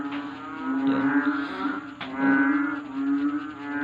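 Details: Nighttime frog chorus, noisy enough to prevent sleep: a continuous low buzzing drone with stacked harmonics, pulsing gently in loudness, with one brief sharp click midway.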